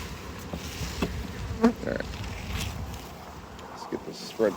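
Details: Honey bees buzzing as a beekeeper spreads the frames and returns one during a hive harvest and expansion; a wavering insect drone mixed with repeated clicks and knocks of woodenware being handled.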